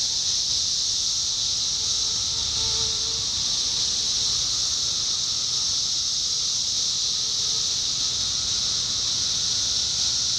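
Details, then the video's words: Numerous 17-year cicadas in Indiana, summer 2021, producing a ceaseless high hissing drone, layered with several faint steady whines and brief lower buzzy swells. "10 Hour: Sounds of Cicadas Summer 2021: 17-Year Cicada"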